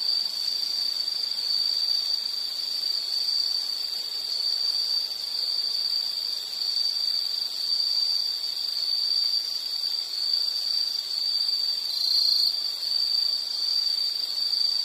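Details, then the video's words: Unbroken high insect trill, steady and even in tone throughout, with a fainter higher whine above it and little else heard. "Nature Sound of nature sounds scenery L · insect"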